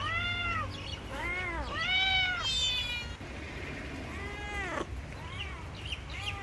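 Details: Cats meowing in a bamboo tree while looking for food; several arched, harmonic-rich meows in close succession, some overlapping, over a steady low-pitched background rumble.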